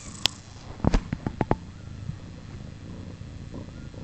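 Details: Purring from Pluma's four-day-old kittens: a low continuous hum, briefly broken near the start by a quick series of sharp clicks and thumps from handling or movement.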